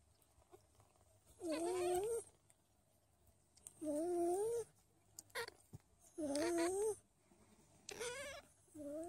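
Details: Don Sphynx kittens, a hairless cat breed of Russian origin, in a family of a mother, two daughters and a boy; four drawn-out, wavering meows about every two seconds over a quiet background.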